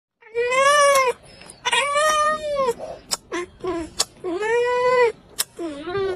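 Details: Domestic cat, angry at people kissing, giving loud drawn-out wailing meows, four long harmonic cries that rise and then fall, broken by short sharp clicks and smacking kissing sounds between them.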